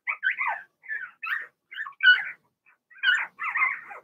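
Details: Blenheim Cavalier King Charles Spaniel puppies from Remy's first litter of six, two girls and four boys born in early March, in an indoor puppy pen; high whiny yelps and squeals in short overlapping bursts with brief pauses.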